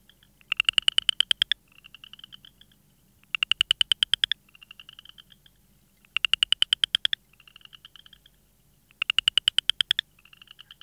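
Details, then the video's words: Frog calling in regular bouts about every three seconds, each a loud rapid burst of clicking pulses followed by a quieter, softer pulsed trill. "Frog sounds"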